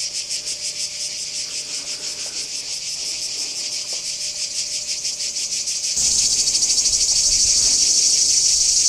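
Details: Cicada chorus recorded at Kardamyli in 2013, a shrill pulsed buzzing throbbing roughly three times per second, abruptly becoming louder and harsher about two-thirds of the way through.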